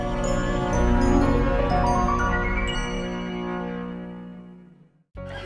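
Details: Bright mallet-percussion jingle that rings out, fades to near silence, then cuts back in.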